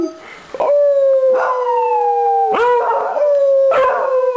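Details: Beagles howling together at home when their owner gets back: sustained, steady howls, each a few seconds long and gently falling in pitch, with brief rough yips between them and a rich ringing overtone.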